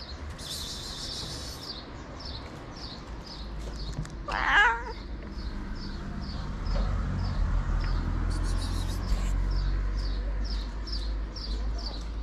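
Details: White cat meowing as it asks for food: one loud, wavering meow with rich harmonics midway, set against a steady train of short, high chirps repeating about every half second and a low background rumble.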